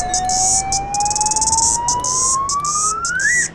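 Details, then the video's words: A New Zealand chorus cicada gives a high, rasping buzz that pulses rapidly throughout, with a rising whistled tone over it. The buzz is made by tymbals on the sides of its body, and groups call together to scare off birds. "Hold on. I think I can hear that chorus cicada again."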